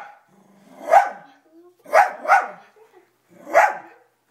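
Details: Toby, a household dog, barks at his own image on the TV: four sharp barks, the middle two in quick succession, with a faint whimper between them in a quiet room.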